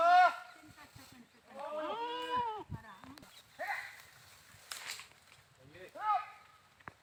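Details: Goats utter loud, wavering bleats: a sharp opening cry, a long trembling bleat, then rougher calls and a final rising bleat, separated by quieter pauses.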